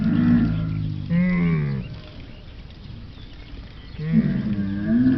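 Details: Camel roar: two throaty, wavering bellows with a bubbling edge, one at the start and one near the end, separated by a quieter stretch of low rumbling.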